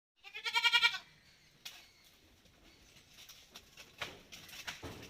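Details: Malabari goat on a farm, with the herd taken outside for the day: one loud, harmonic bleat in the first second, wavering slightly, then faint rustling and scattered clicks and knocks.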